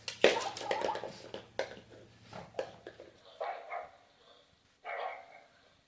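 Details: Pet pug Derp, having a hard time inside a small room, lets out a sharp yap followed by snorty puffs. Then come two breathy, moaning groans, the second longer and steadier.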